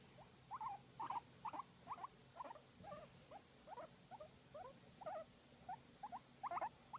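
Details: Guinea pig being massaged, uttering a steady run of short, squeaky, wavering chirps, roughly two or three each second for several seconds, some louder than others, with a faint low hum behind.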